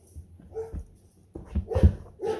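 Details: Puppy trained to bark on the spoken cue "warn him" as a trick and praised afterwards; short, low, gruff bark bursts with whiny tones, mixed with a man's voice giving commands and praise.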